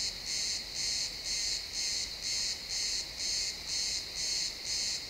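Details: A cricket in a sunset pine forest repeats shrill pulsed chirps at a regular pace of about two per second, recorded in realtime XY stereo with quiet background ambience.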